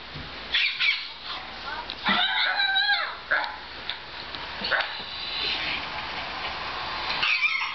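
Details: A puppy appears inside a laptop next to Roscoe. Short, high, harmonic yelps and whines come in bursts near one, two, three and a half, and seven seconds, with quieter murmuring between them.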